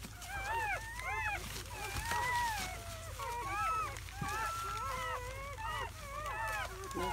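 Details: Newborn German Shepherd puppies, seven in the litter, in their first hours on May 8, 2017; repeated short arched whimpers and longer whines from several pups, with faint low thumps and rustling beneath.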